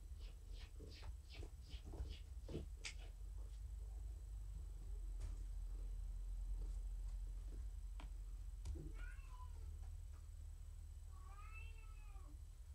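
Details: Pet cat Morticia, petted indoors during an evening session, keeps up a heavy low purr throughout, with soft clicks early on and two short rising-falling meows near the end.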